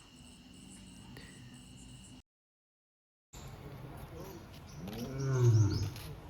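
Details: A lion at Siddharth Garden Zoo, Sambhajinagar, India, on 27 March 2026, gives a deep rumbling roar that swells near the end while turning toward the visitor, with a person talking over it.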